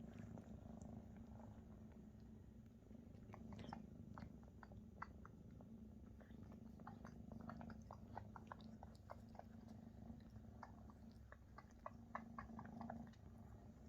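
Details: Oversized Maine Coon kittens purring while mama Luna feeds them; an even low drone runs under frequent sharp clicks and wet chewing or licking sounds across the whole stretch, indoors.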